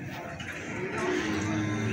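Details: Feeder cattle at the Plaosan cattle market in Magetan, Indonesia, give a low, steady, droning moo that swells in the second half, over a busy background of market chatter and crowd noise.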